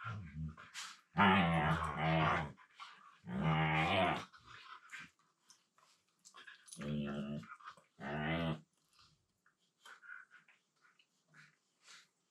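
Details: Siberian Huskies at play indoors, one male talking with his low-pitched voice while they mouth each other on the floor; four long, groaning, harmonic yowls of about a second each, separated by pauses with faint rustling.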